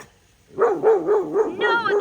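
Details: At an animal sanctuary, an alarmed domestic dog barks as an alligator is nearby: a quick, urgent run of about five mid-pitched barks in under two seconds, the last bark turning higher and whinier.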